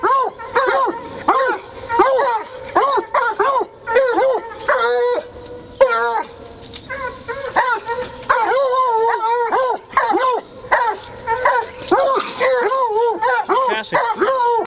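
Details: Several coon hunting dogs working a caged raccoon, giving a steady stream of arched barks and yips, about eighty a minute in irregular clusters, with occasional drawn-out bays and a man's brief voice.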